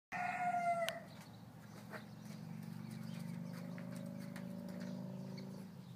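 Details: A male miniature donkey calls, a brief high tonal note then a long, low, rasping drone, while trying to get his Welsh pony gelding playmate to play with the feed tub.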